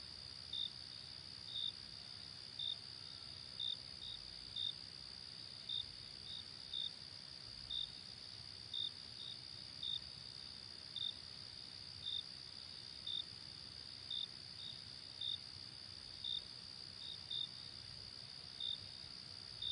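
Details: Crickets at night give a long run of evenly spaced high chirps, near one a second, some paired, above an unbroken high-pitched insect drone.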